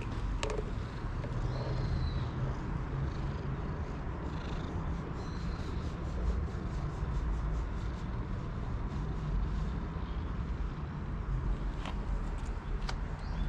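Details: Temple cat being petted after leading the way, purring in a steady low rumble that runs through the whole stretch, with a few faint high chirps early on and light handling noise.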